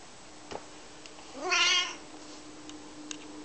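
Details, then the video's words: Asked what he did with it, Dave the Maine Coon answers with one drawn-out harmonic meow that rises then levels off, amid light clicks during a game of fetch. "Dave the Cat Playing Fetch"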